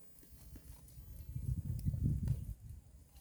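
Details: A herd of cows (Bos taurus) grazing on green grass at the roadside, with low, irregular tearing and munching sounds that swell and fade over a few seconds.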